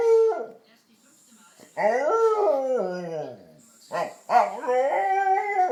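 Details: Dog producing weird moaning howls: a short falling whine, then a long wavering howl that sinks in pitch, followed by a yelp and another rising-and-falling moan, with a faint high whine running beneath.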